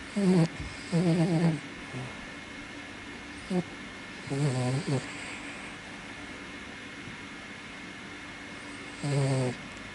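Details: Ippo, a senior Toy Poodle father, sleeps like a mop with a sometimes blocked nose. His snoring comes in loud, nasal, buzzy bursts with a wavering tone, one short pause after another, and about four breaths heard over ten seconds.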